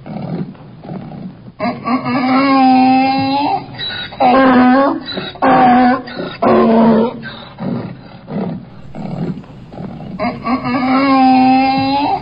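A donkey brays in a series of loud, harsh, strongly tonal bursts that rise and fall.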